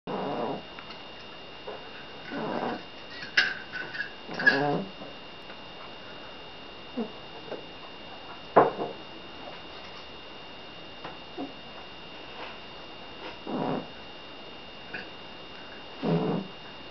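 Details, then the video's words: Billy, a seal point Siamese cat, snoring in his sleep indoors: soft, breathy, rasping bursts at uneven intervals of a few seconds, with a faint steady hum underneath. "The Snoring Cat"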